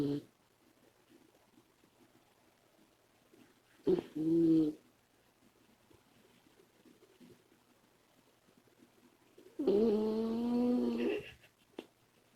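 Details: Female Labrador Retriever puppy Komachi snores in her sleep. A brief nasal snore is followed about six seconds later by a longer, harmonic, droning snore lasting over a second. Quiet, soft breathing fills the pauses.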